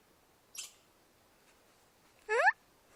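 A chipmunk calls with a brief, thin high tick followed a couple of seconds later by a stronger chirp that sweeps quickly upward. Between the two notes only quiet background hiss is heard.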